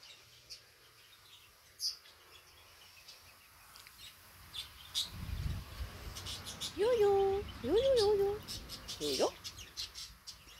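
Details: Five-week-old Labrador Retriever puppies exploring the garden: two drawn-out, wavering whines with a bending pitch, each under a second, then a short rising yelp; faint bird chirps and rustling in the background.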